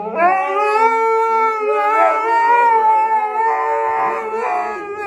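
A Siberian husky gives a long, wavering howl that holds steady with rich harmonics.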